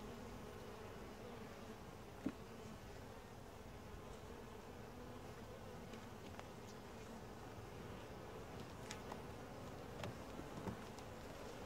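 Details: Honey bee colony during a typical hive inspection, described as quiet, gentle and calm, with a camera on a tripod; a steady low droning hum throughout, with a few faint clicks and one sharp tap.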